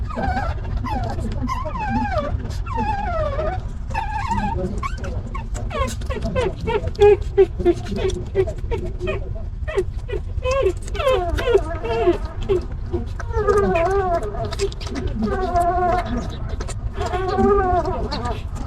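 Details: Stray mother dog, living rough with a litter of puppies, while one of her puppies is picked up; many wavering, pleading whimpers and yips follow each other rapidly, over low background rumble and occasional voices.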